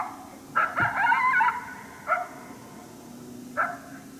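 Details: A wild coyote, unseen, barking at a hunter during a coyote hunt at St-Andrews on 1 March 2019, unhappy at the person's presence: a sharp bark, a longer wavering harmonic bark-howl, then two more short barks spaced about 1.5 seconds apart.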